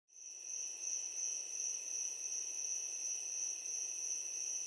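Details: Crickets at night give a steady, high-pitched shrill trill that carries on without a break.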